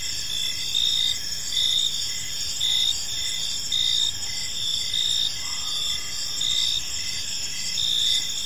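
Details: Crickets in a peaceful park at evening: a sustained high-pitched buzzing trill, brief chirps repeating under it, and louder pulses about every second. A faint low sound passes midway.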